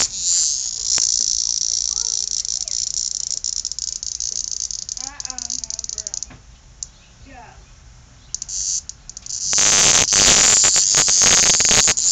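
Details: A very loud cicada hunted down by kittens playing with it indoors: an intense, high, continuous buzz at the start that fades by about six seconds, a voice in the quieter middle, then the buzz bursts back loudly after nine seconds.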